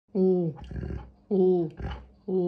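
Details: Alaskan Malamute indoors trading noises back and forth with its owner; drawn-out, tonal, slightly wavering woo sounds, three in quick succession, alternating with a human voice answering.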